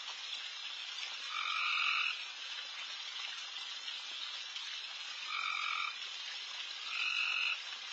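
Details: Insanely loud frogs all over a backyard late at night. Over a continuous buzzing chorus, three prominent rasping croaks, each under a second long, sound at irregular intervals of about three and a half and one and a half seconds.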